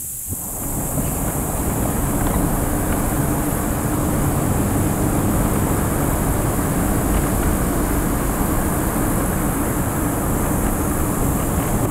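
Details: Steady low rumble of wind or engine noise fills the recording, with no animal calls heard.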